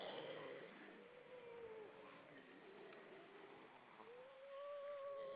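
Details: Grey seals, many hauled out above the water on Vilsandi, Estonia, on the evening of 25 September 2012: long wavering moaning wails, one sliding downward over the first two seconds, another rising and held steady at the end, over constant broadband rushing noise.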